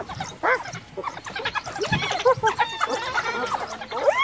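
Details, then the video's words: A hyena in Kruger, cornered by African wild dogs after the recent death of her cub, calls for backup from her clan; rising and falling whooping and squealing calls mix with yelps and chatter, and a man speaks. "Hyena Cornered by Wild Dogs Calls for Backup!"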